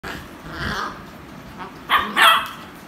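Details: Beagle barking and making noise while playing with toys; a couple of short, sharp high barks near the end after quieter muffled sounds.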